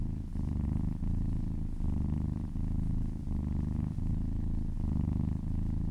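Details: Happy cat purring during a relaxing massage, a deep continuous rumble that pulses with each breath, shifting in and out about every second, clear and close with a quiet background.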